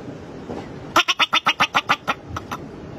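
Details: Bobak marmot (Marmota bobak), a steppe marmot, gives a rapid run of sharp, harsh chirping calls, about four every second.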